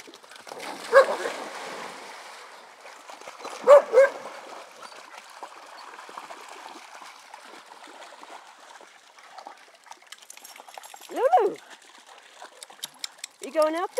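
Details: Dogs playing at a pond, fetching sticks: short high whining yelps rising and falling in four separate bursts, about one, four, eleven and fourteen seconds in, with long quiet gaps, over trickling water and a faint splashing background.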